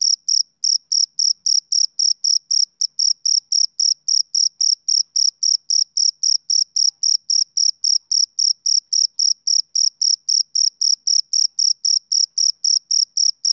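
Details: Rhythmic male cricket song of summer evenings, shrill bright chirps following one another evenly, close to four each second, without background noise.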